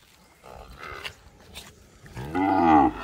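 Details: Purebred Guzerá cattle on a farm in Mari, Paraíba, Brazil: after faint rustling and brief lower sounds, a loud, rich harmonic moo swells near the end and holds for under a second before cutting off.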